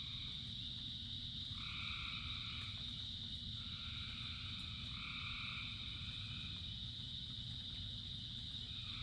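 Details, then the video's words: Frogs calling in the rain, a huge chorus: a steady, shrill high-pitched drone runs throughout while harmonic croaking bursts, each about a second long, repeat several times, over a constant low rumble of rain and background noise. "Frogs in Rain 2 Hours of Frogs, Thousands of Frogs Singing"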